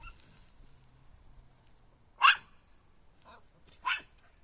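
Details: Puppy giving two loud, sharp barks nearly two seconds apart, with a softer short yap between them, over a quiet low hum.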